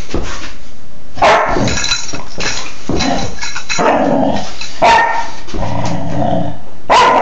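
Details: Playful four-and-a-half-month-old female Dobermann, February 2011, mixing loud abrupt barks with rough growling between them, sounds coming in dense bursts every half second to second throughout.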